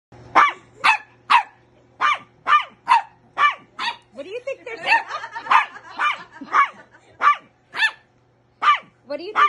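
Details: Pembroke Welsh Corgi puppy barking at an adult dog while trying to get it to play; sharp high yappy barks repeated roughly every half second, some with whiny rising tails, with a woman's voice briefly audible.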